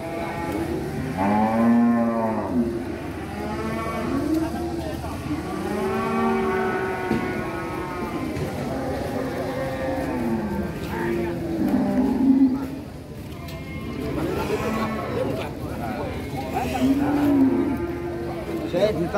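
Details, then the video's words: An angry cow runs off a truck, giving a series of deep, drawn-out moos that rise and fall, one every two to three seconds, with voices and some background noise mixed in. "SAPI NGAMUK TURUN DARI TRUK"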